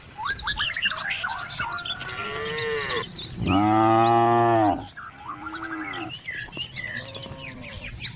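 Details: Cattle calling the herd home to the barn along country roads: one loud, rich moo lasting over a second stands out, with softer lowing before and after amid busy chirping birds throughout.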